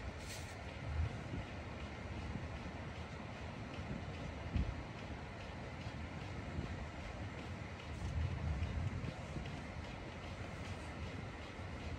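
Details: A steady low rumble of a passing train or heavy vehicle, with faint indoor speech and no animal voice.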